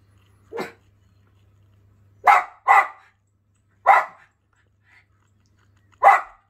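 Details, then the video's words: Jett the Schipperke chasing birds off his yard: a short yelp followed by a series of loud, abrupt barks, two in quick succession, then spaced singly, with quiet pauses between. "Jett the Schipperke telling the birds who's boss"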